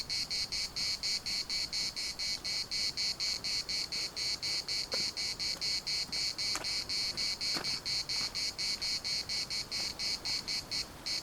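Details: Cicadas in chorus at the municipal park in Larnaca: a dense, high, sizzling buzz pulsing in rapid regular bursts with brief gaps, steady throughout, with a few faint soft clicks beneath.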